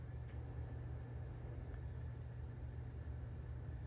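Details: Steady low engine-like rumble and hum fills the recording, with one faint click near the start and no animal sound.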